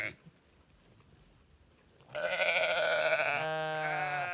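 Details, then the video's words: Two seconds of near silence, then a sheep lets out a single long, loud baa that wavers and drops slightly in pitch toward the end. "Sheep Sounds: Baa-rilliant Sheep Noises for Kids!"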